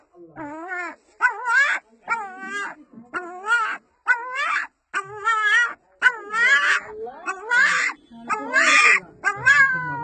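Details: A small female puppy gives a run of wavering, rising-and-falling whines, nearly one each second, almost like human speech, calling to her mother.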